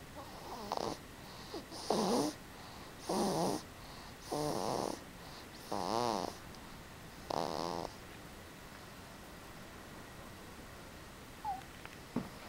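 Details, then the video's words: A sleeping Boston Terrier snores in 2011, six raspy, buzzing breaths spaced about every one and a half seconds, then the snoring fades to quiet near the end with only faint snuffles. "Boston Snoring"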